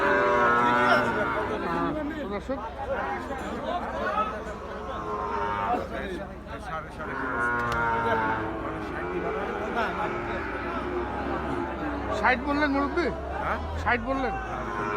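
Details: At Ambari haat cattle market in Bangladesh, held Fridays and Mondays, cattle give drawn-out moos that swell and fade several times. Market chatter, shouting and background music run underneath.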